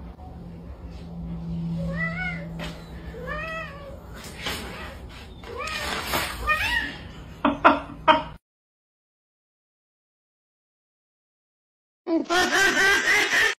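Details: Blue-eyed Siamese cat meowing: a run of drawn-out meows that rise and fall, three or four in quick succession early on, then louder strained calls mixed with noise, a silent gap, and a final noisy burst.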